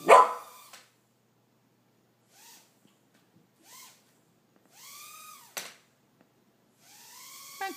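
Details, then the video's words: Two puppies discovering a toy drone helicopter: one sharp, loud bark opens, then short arched yelps sound every second or two over near-silence, ending in a rougher, harsher yelp. "Cute puppies discover the drone!"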